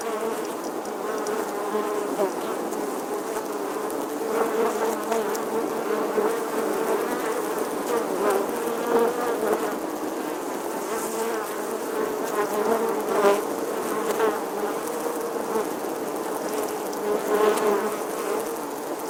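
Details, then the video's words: Bee buzzing in summer: a steady, droning hum with a strong low tone and layered overtones, continuous throughout, swelling slightly louder at moments around nine, thirteen and seventeen seconds, with no other clear sounds. "Bee Buzzing Sounds"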